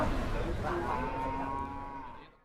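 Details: A newly arrived jumbo cow or bull in Indonesia, first time out of the pen, gives a single sustained, even-pitched moo lasting about a second over a rough, noisy background that fades out at the end.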